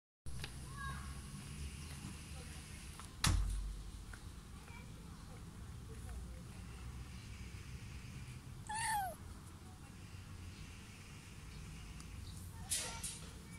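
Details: A little rescued kitten inside a carrier gives a few thin, high meows that slide downward, among soft thumps and a low background rumble.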